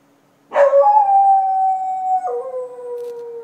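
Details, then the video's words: Dog howling at night in Chiayi County, Taiwan, in 2014: one long, steady, tonal howl begins abruptly, holds its pitch for nearly two seconds, then steps down to a slightly lower note and trails on, over a faint low background hum. "Dog at night"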